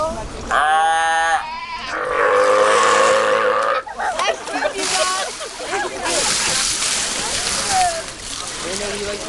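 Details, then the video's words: Sea lions keeping up their burping noises for about thirty minutes: a short, harmonic, moaning call, then a loud, rough, gravelly burp lasting around two seconds, followed by people chatting nearby. "Burping Sea Lion"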